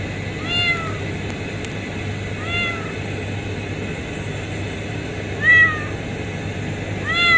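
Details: Kitten found under a pipe at a refinery, mewing four times at irregular intervals, each call a clear rising-then-falling whine, over a steady low mechanical hum.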